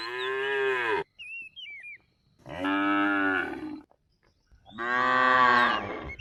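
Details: Cattle grazing in a rice field give three long, steady moos of about a second each, separated by short silences, with a quick warbled bird call in the first gap.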